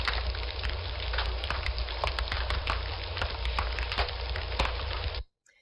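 Steady crackling, rain-like noise with sharp clicks and pops, with no animal voice heard.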